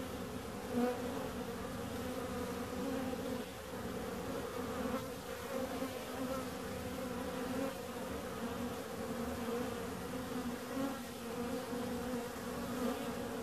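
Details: Bees buzzing in a steady, continuous low hum with layered droning tones, the drone swelling and fading slightly throughout with no pauses.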